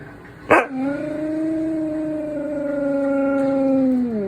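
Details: A male Siberian Husky howls to get his owner to get up. He gives a sharp yip, then a long, steady howl that sags in pitch at the end.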